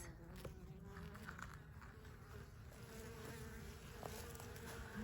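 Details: Western honey bee workers coming and going calmly at a hive entrance in Wisconsin on a warm May day, with no orientation fights; even, continuous low buzzing of many bees with occasional faint clicks.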